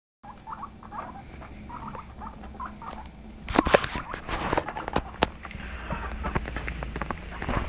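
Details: Domestic guinea pigs active indoors, giving a run of short chirping squeaks early on, then sharper clicks and rustling patter as they move about.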